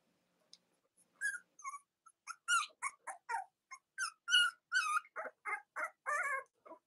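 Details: Cavalier King Charles Spaniel puppies from Robin and Myra's litters, indoors, on a chilly Monday morning near Halloween in the US: a run of high, harmonic squeaks and whimpers, several per second, broken by short pauses.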